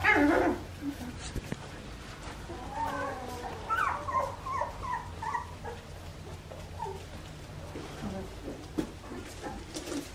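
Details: Young Australian Shepherd puppies aged two and a half weeks, offspring of Poppy and Dublin, on an Oklahoma farm. A sharp cry opens, followed by a cluster of thin, wavering squeals and soft whimpers, with low room hum.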